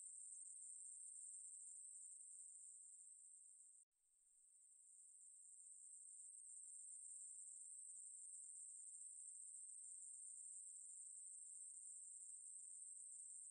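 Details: Ruspolia katydid giving a continuous shrill buzz at a very high, even pitch. It cuts off abruptly for a moment near four seconds, then fades back up and carries on steadily.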